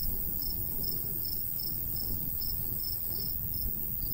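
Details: High, thin cricket chirps pulse steadily about every third of a second in summer countryside by a golden wheat field, with a light breeze rumbling low throughout.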